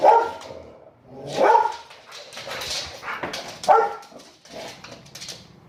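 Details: Territorial barking by a domestic dog aimed at the mailman while its owner encourages it; irregular loud barks and yelps mixed with the owner's excited voice.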